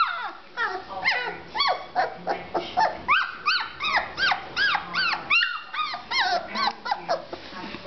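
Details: Young chocolate Labrador Retriever puppy that had only learnt to walk and bark that day, giving high-pitched yappy barks and yelps with arched, squeaky pitch. About a dozen come in quick, uneven succession.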